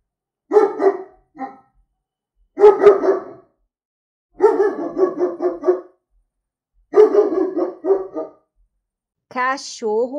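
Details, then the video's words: German Shepherd dog giving clipped bursts of deep, rough barks, some volleys quick and rattling, others of two or three barks, ending with a high whining yelp that rises and falls. "Som de Pastor Alemão Latindo - Latidos de Cachorro Pastor Alemão"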